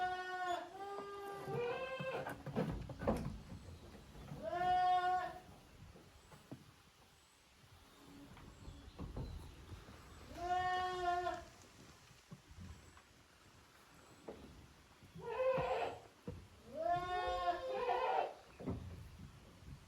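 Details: Goat kids of Koharu and Okayu at Yoshigake's handmade goat farm, Japan, playing as two teams in the exercise yard on 13 June 2023; five wavering, nasal bleats in bursts, with quiet gaps and faint background rustling.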